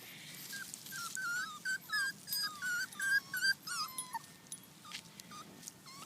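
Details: Purebred Miniature Schnauzer puppies on their first trip outside, giving a quick run of short, high whimpers, about three per second, then fading to a few scattered thin whines.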